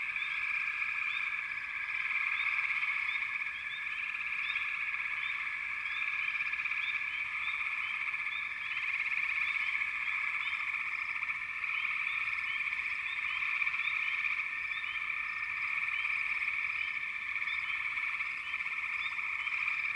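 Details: Backwater frog chorus, many callers overlapping into a steady pulsing trill, with brief upswept chirps scattered on top for the full length, no pause.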